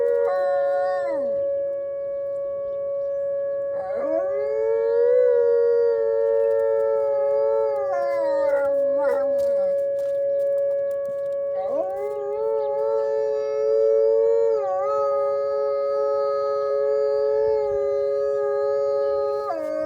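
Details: Wolves on a snowy Monday morning, more talkative than usual, living out on a deck. Several overlapping voices give long howls that rise, hold steady and fall away, then restart twice after short gaps, layered in a dense chorus.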